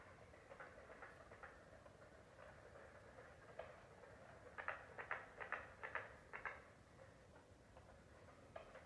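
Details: In South Carolina, a carpenter frog calls with a brief run of hard, doubled knocks, each pair clipped and woody like a hammer striking nails, over softer scattered clicks and a steady low hum.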